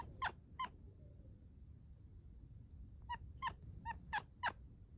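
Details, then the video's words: Domestic cat chirping and chattering: bursts of short, bright, clicky chirps, a pair near the start, then a quick run of five or six after a pause, over a quiet low background rumble. "Cats Chirping Chittering Clicking"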